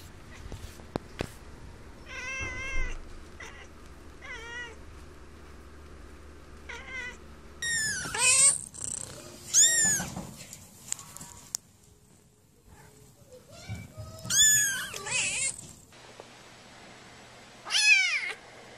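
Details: Domestic cat meowing in a compilation for attracting cats: scattered short mews, some thin and very high-pitched, others fuller, coming irregularly with pauses and soft clicks between.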